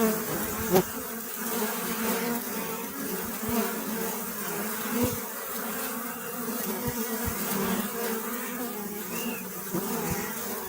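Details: Many honey bees drone together in a thick, even buzz with rich overtones. Scattered soft ticks and one sharp knock early on punctuate the hum.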